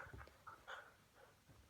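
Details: Harvey, a 10-week-old Goldendoodle puppy, reacts indoors to a new plastic toy ball, barking and swiping at it; short yappy barks and whimpers sound in quick bursts with light panting in a small room.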